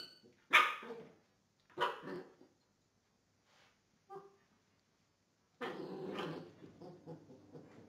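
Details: Belgian Tervuren in gun training lets out two sharp, loud barks a second apart, then a soft short yelp, then a long, rough, growling bark run in the final two seconds.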